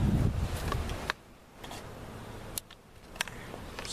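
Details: Low rumble and fan-like hum with scattered clicks and knocks from equipment being handled; no animal voice stands out.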